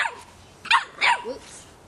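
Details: Three-and-a-half-month-old Boston Terrier puppy barking at a soccer ball: two sharp, high barks about a third of a second apart, followed by a brief fainter voiced sound.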